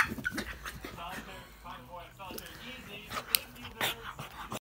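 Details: A pug makes snorting, grumbling noises while play fighting with a boxer dog, with human speech in the background.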